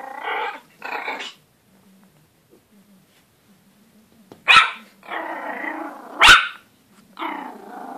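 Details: A Pomeranian puppy barking at his own reflection gives high, sharp yaps mixed with short rough growls, in uneven bursts.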